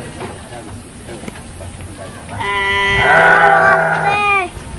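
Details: A Garut sheep bleats at a fighting-sheep farm in Cilawu, Garut, West Java, Indonesia: a long, rich, vibrating bleat of about two seconds that swells and then trails off, over a murmur of people and ambient noise.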